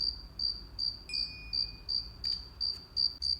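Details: Summer crickets in a children's sound-guessing game: clear, high, ringing chirps repeated nearly three times per second in a regular train of about ten pulses, with a faint thin tone and light clicks in the background.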